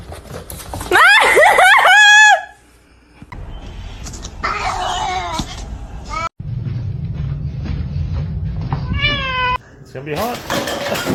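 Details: Domestic cat giving a loud, drawn-out harmonic meow of about a second, followed by shorter wavering meows; a human voice, background music and scattered noises come between the calls.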